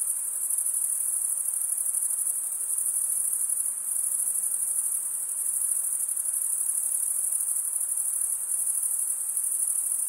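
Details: Unbroken shrill cricket chorus, the chirping made by males scraping one wing's edge over the comb-like teeth beneath the other wing; high buzzing trill with quick even pulsing, slight swells in loudness.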